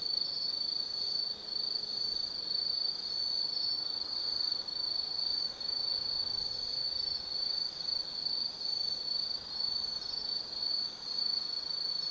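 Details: Insects singing on an autumn night at Tsukimi no Mori in Kaizu, Gifu, Japan, overlooking the lights of the Nobi Plain: an unbroken, bright, high-pitched ringing trill, with faint flickers of other chirpers beneath and almost no background noise.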